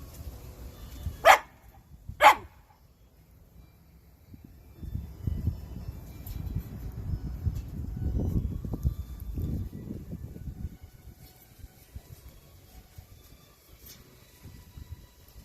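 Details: A Shiba Inu barks twice in quick succession, about a second apart, then falls silent while low rumbling, shuffling noise fills the rest.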